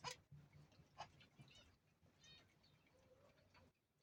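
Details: A goat giving birth to the first of her two kids gives short, rough bleats and grunts, spaced about a second apart, over a low steady hum.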